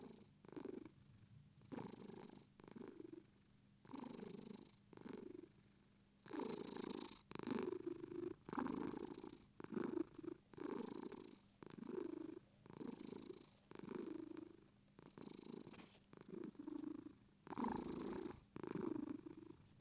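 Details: Continuous purring from a British Shorthair, its low throaty vibration pulsing with every inhale and exhale roughly once a second. The room is otherwise quiet.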